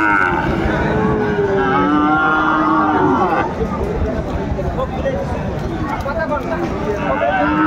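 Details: Sahiwal cattle lowing at the Aftabganj cattle market, 4 May 2024: a sustained, buzzy moo of about three seconds that ends abruptly. Market chatter continues underneath and afterwards.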